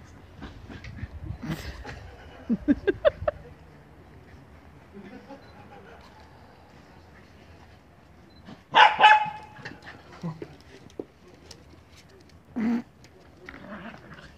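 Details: Teddy, a poodle, barking indoors: a quick run of four short sharp yaps, then a louder, harsher bark after a quiet stretch, and one more brief bark near the end, with soft background noise between.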